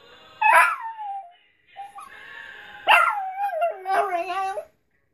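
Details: Domestic dog howling along with Mad Child's It Gets Better: several drawn-out howls, each starting high then dropping and bending, with short gaps between and the music playing underneath.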